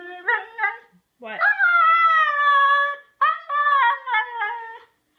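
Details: Husky singing its 'woo woo wooo' indoors: two quick yips, then a long sustained howl that dips gently in pitch over about two seconds, followed by a burst of rapid warbling notes.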